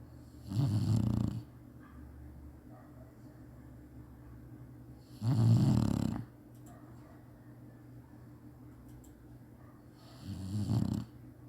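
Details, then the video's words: Sleeping Chinese Shar-Pei, napping as usual, snores three times in a low, throaty rumble. The snores come about five seconds apart, and the last one is softer. The gaps between them are quiet. "cachorro roncando bonitinho chinese sharpei"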